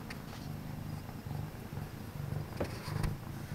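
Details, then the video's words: Domestic cat purring indoors late at night in a home office, one of two cats, Penny (all orange) or Havoc (orange and white), keeping company; low rumbling purr in rhythmic pulses with short pauses between breaths, a few faint clicks and taps. "My Fuzzy Study Buddies (No Talking) (Cat Purrs)"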